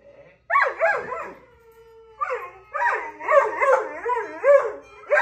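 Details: Reese, a pet dog, 'talks' back at dogs on her TV show: a short low note, then wavering, yodel-like howls that rise and fall in pitch, coming in linked bursts with brief pauses between them.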